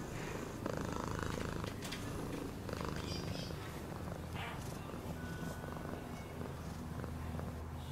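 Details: Steady cat purr, a fast low throbbing hum carried on without breaks, occasional faint clicks and rustles in the background.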